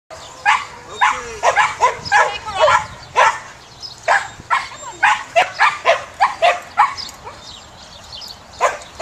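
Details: Samoyed dog at a herding session, giving a rapid run of short, sharp barks and yips, about two per second, irregularly spaced, some rising then falling in pitch, with faint background noise.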